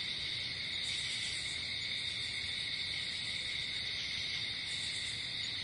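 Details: Night-time cricket chorus in nature: an unbroken, shimmering high-pitched trill holding level for the whole stretch, with faint low background rumble.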